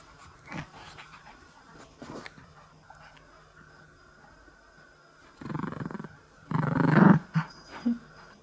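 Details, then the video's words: A Chihuahua gives short, rumbling growls in bursts that grow louder and longer while playing tug-of-war with a string from its favourite worn stuffed toy, asking to play. "【遊んでくれと言いながら 唸るチワワがおもしろい！】Chihuahua is groan saying me playing. lol"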